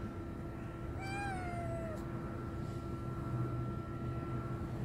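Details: A single drawn-out meow from a hungry homeless stray kitten set upon by a strong male cat, rich in harmonics and dipping slightly before fading, against constant low rumble.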